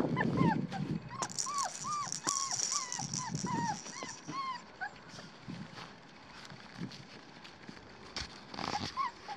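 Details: Black tri female Australian Shepherd puppy from an Oklahoma breeder whimpering: a quick run of short, arched whines that rise then drop, several per second, fading into scattered soft cries, with handling noise and low rumbles.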